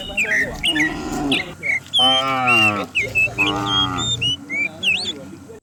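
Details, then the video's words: Morning herd of dozens of cows driven down a rural hillside; two full, rich lowing calls in the middle, each about a second long, framed by constant twittering and whistling birds throughout. "Herding dozens of cows down the hill every morning, cow sounds"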